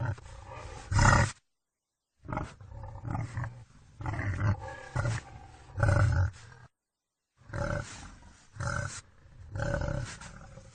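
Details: Wild boar producing repeated deep, hoarse grunts and growls in uneven bursts, with a brief silent break before each new run of rasping calls.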